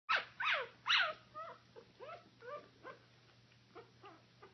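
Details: Icelandic Sheepdog puppies giving a run of high, squeaky yelps and short whiny barks, the first three loud and shrill, the rest softer and falling in pitch, about two per second.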